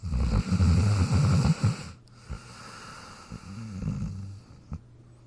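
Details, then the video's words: Jack the dog snoring while sleeping in his dog bed: a loud rough rumble, quiet pause, then a gentler snoring breath with short snorts. "Jack Sleeping & Snoring in his Dog Bed"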